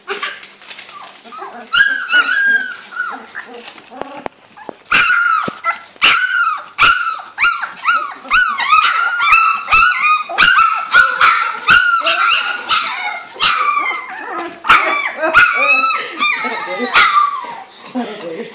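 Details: Two-to-three-week-old Labrador puppies, all female, from a Gold Coast, Australia kennel, playing and practising their voices: continuous chorus of high-pitched yelps, squeaks and whines, many pups calling over each other in a small room.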